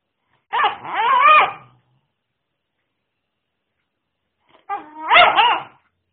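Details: Airedale Terrier puppy barking: a loud, drawn-out wavering yelp-bark, a silent gap of about three seconds, then a second similar bark.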